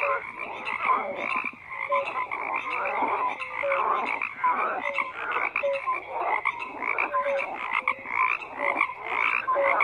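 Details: A chorus of croaking frogs, layered raspy pulses joined by brief clear piping notes recurring every second or so, the whole mass of calls unbroken from start to finish.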